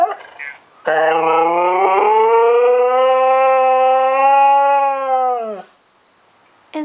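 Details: ['Female husky howling indoors because she misses her owner, who is deployed in Afghanistan, as she hears him on the phone. One long, steady, tonal howl lasts about five seconds, rich in harmonics, ending in a slight downward slide. A person speaks briefly before it.']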